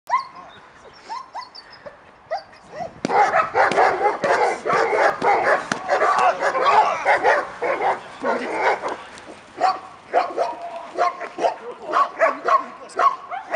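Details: A female German Shepherd barks in loud, rapid, harsh bursts after a few quiet seconds during apprehension training, which builds an active-defensive reaction against a decoy who swings at her.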